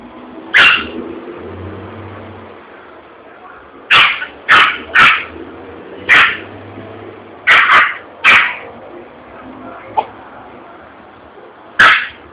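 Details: Yorkshire Terrier scared by a bursting balloon at a commercial spot in Vitória da Conquista, Brazil: bursts of shrill, clipped barks in irregular clusters, with a low engine-like rumble and street noise beneath.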